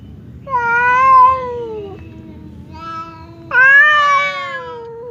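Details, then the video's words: Two house cats, fierce Temon and quiet Lelo, kept apart by a divider while squaring up to fight; two long, loud, moaning yowls, each held over a second, with a faint murmur in the quiet gap between them. "SUARA KUCING BERANTEM | cat fight sound effect"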